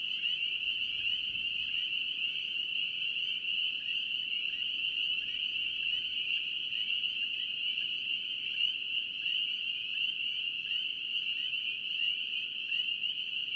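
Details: North Carolina spring peeper frogs form a continuous shrill chorus, individual peeps blurred into a constant high ringing that stays level from start to finish.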